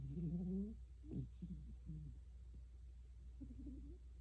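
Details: A cat snoring: low, rough breaths with a squeaky, whistling edge that rises slightly, followed by several shorter snorts and a quieter snore near the end, in a quiet room.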